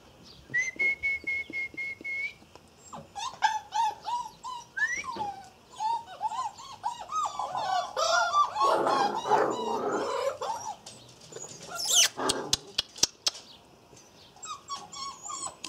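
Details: A litter of six Irish Terrier puppies, almost eight weeks old, giving high whistled whines, including one long flat note, then a busy chorus of squeaky, bending cries, with sharp clicks near the end.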